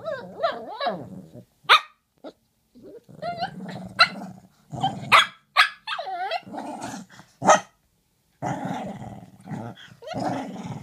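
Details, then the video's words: Murph and Maverick, two dogs, trade vocal exchanges: overlapping rumbling growls, whiny yodel-like grumbles and scattered sharp barks, nearly continuous throughout with a brief pause near the end. "Two dogs talking!"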